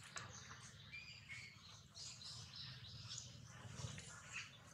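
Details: Thin, high whistled squeals from Jinx, a baby monkey bitten hard by Jade, rise over a low rumbling hum. The crying is faint and comes in short tonal notes with brief scratchy bursts.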